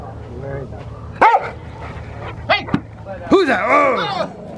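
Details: Ten-year-old Rottweiler during schutzhund protection training, barking in a few loud bursts with a handler's voice, praise and background music.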